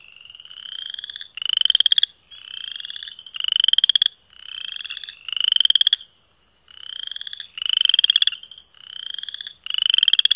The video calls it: Chorus Frogs